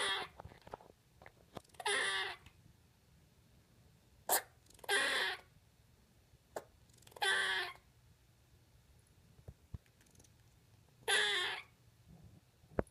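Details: First words of Lexi, a pet squirrel finding her voice: several harsh, raspy drawn-out bursts lasting under a second, separated by pauses with faint clicks, recorded indoors over a low hum.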